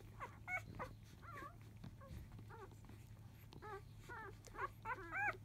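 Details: Labrador Retriever puppies at five days old, field type, raising a fuss at the beginning of an early-afternoon feed; rapid, irregular chirping squeaks and bent whines from several pups, clustering louder toward the end.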